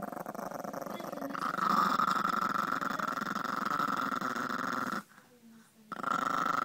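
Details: Female Chihuahua, submissive and aggressive at the same time, growling indoors to keep an item from being taken; continuous rough, vibrating growl for about five seconds, a brief pause, then resuming, with a woman talking over it.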